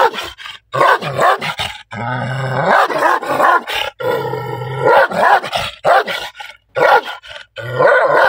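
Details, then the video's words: Loud angry barking from a black dog, harsh bursts broken by two longer stretches where a low, steady droning tone runs beneath the voice before the rapid barks resume. "Angry Dog Sound | Angry Dog Barking"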